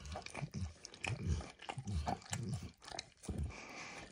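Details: Close, sticky tongue smacks and small slurps as the dog Max licks food (eggs, then diluted peanut oil) off a bumpy orange mat, a handful of separate wet strokes over a few seconds.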